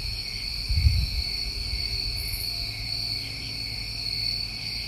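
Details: Crickets of a New England summer keep up steady, layered high trilling; a dull low thump breaks in near the first second, and a brief high buzz sounds midway.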